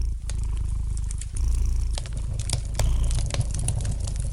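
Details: Domestic cat purring gently beside a fireplace: a steady, deep, pulsing rumble runs throughout, swelling louder around the middle and near the end, while sharp pops and snaps of lightly crackling fire scatter over it.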